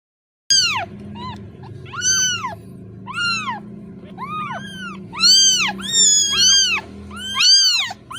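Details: Kitten separated from its mother, calling for her: about nine high, arching meows over eight seconds, each rising then falling, some overlapping. There is a low hum beneath.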